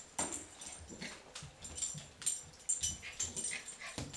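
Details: A Cairn Terrier puppy gives short, breathy bursts of snuffling and soft whimpering while playfully battling a small orange.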